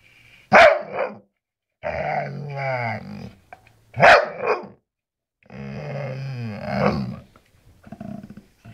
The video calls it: Beautiful Bull Terrier talking